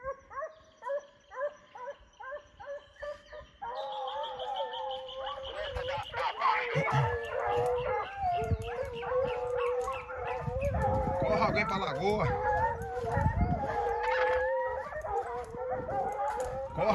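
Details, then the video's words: Foxhounds at a kennel, including old Faísca, first giving evenly repeated single bays about twice a second, then breaking into a loud, dense pack chorus of overlapping howls with heavy background noise. "Faísca véia faz barulho mesmo , foxhound é aqui ."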